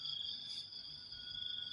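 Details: Morning crickets in the half-dark before dawn give a continuous, piercing high trill made of two steady pitched layers. Background noise stays faint and low.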